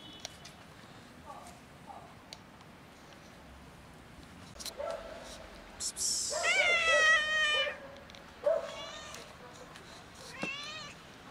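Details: Two domestic cats, a big white one and a black one, wanting food on a cold day; several harmonic, wavering meows, one long drawn-out and rising-falling, others shorter, with faint background noise.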